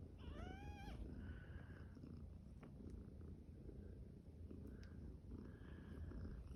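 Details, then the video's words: Champagne cream tabby kitten at day five, among kittens yawning and playing: one high, thin mew with stacked harmonics near the start, then soft continuous purring under faint rustling. "Cute kittens yawning, playing and making cute sounds"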